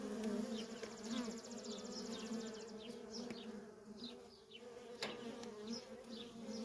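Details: Many honey bee workers at a feral colony keep up a steady deep drone, with high rapid ticking early on, individual bees whizzing past, and a sharp click about two-thirds through.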